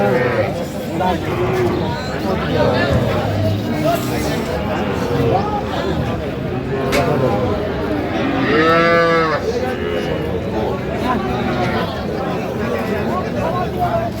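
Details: Small young bulls and heifers at a livestock market on 27 January, bought by a young woman farmer; a drawn-out, arching moo stands out near nine seconds over dense crowd chatter and bargaining voices throughout.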